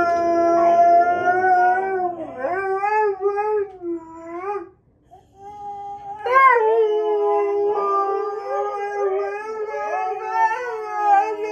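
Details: Husky howling in long wavering tones with rich stacked harmonics, pitch sliding up and down, a brief pause near the middle before a louder rising howl resumes; faint music underneath.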